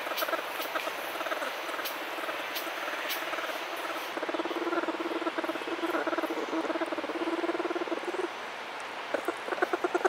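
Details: Orphaned bear cub humming while with a human it treats as its mother: a throaty, motor-like run of rapid even pulses that breaks off at times, with soft patter and rustling noises around it.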